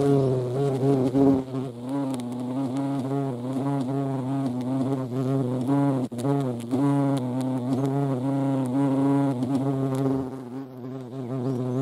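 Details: European hornet (Vespa crabro) hovering at a feeding place: a sustained, deep, reedy buzz with frequent small pitch wobbles, easing slightly in the last two seconds.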